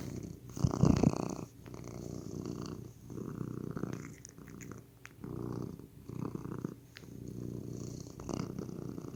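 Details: Pet cat purring loudly and close, deep vibrating rumbles pulsing in bursts of roughly a second, alternating with quieter breaths, plus a few faint clicks.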